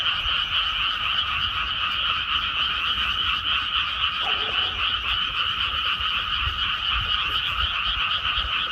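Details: Dense croaking of many frogs in a rice field just after rice planting, rapid rattling pulses blending into one constant, even chorus with no pauses.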